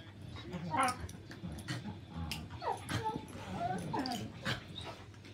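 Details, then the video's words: Shiba Inu and Husky at play, giving short rising whines and yelping squeals mixed with soft grumbles and scuffling movement noises. "Shiba Inu and Husky Play"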